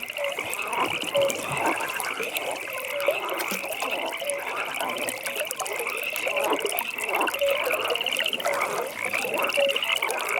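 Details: Frogs at a pond after dark: an unbroken rattling trill chorus with clipped low croaks recurring every one to two seconds, many animals calling together.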